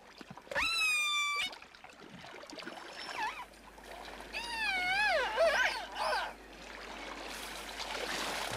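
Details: Killer whale at Vancouver Island, rubbing its back on pebbles, gives squeaky, wavering harmonic calls that swoop up and down in pitch, strange squeaks unlike its usual dialect calls, over a faint watery hiss.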